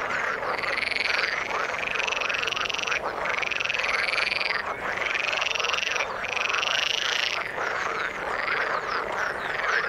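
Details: Frogs calling in the water: loud, buzzy, trilled calls of about one and a half seconds each, repeated in bursts over a background chorus of croaks.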